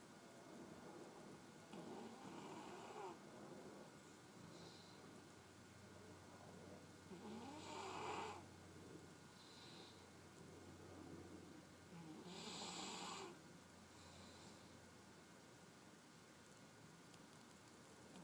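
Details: A sleeping puppy snoring softly indoors, slow uneven breaths with broad, breathy noisy swells roughly every four to five seconds, the loudest near eight and thirteen seconds, over a steady faint electrical hum.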